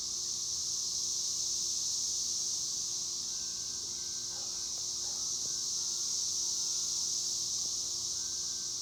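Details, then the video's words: Cicadas singing: a dense, unbroken high-pitched hiss-like buzz holding steady at one level the whole time, with a faint low hum and a few soft, brief background sounds beneath. "El sonido de las chicharras"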